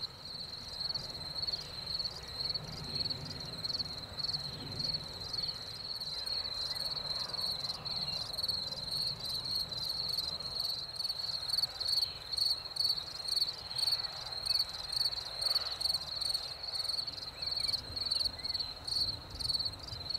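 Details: Crickets singing in spring after the rain: a steady high, shrill chirping pulsed about twice per second, several insects overlapping in a continuous chorus, with faint low rumble underneath.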